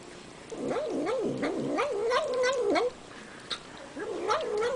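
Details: Cat eating while producing a quavering, up-and-down moaning hum that starts after a short quiet, runs for over two seconds, breaks off, then resumes briefly, accompanied by sporadic clicking sounds.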